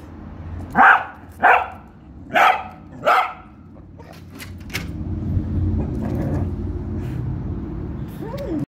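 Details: Female Patterdale Terrier cross hunting, barking because she knows a rat is hidden and wants to get at it: four sharp, loud barks about once every 0.7 seconds, then rustling and scrabbling noise.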